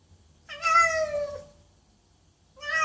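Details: Domestic cat meowing loudly: one long harmonic meow lasting about a second, falling slightly at the end, then a second meow starting as the recording ends; quiet room otherwise.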